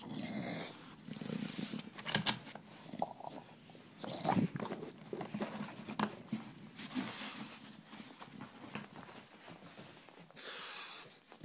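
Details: Bill the bulldog growls indoors, a low continuous rumble broken by snorts and harsh breathy bursts, with a loud hiss near the end.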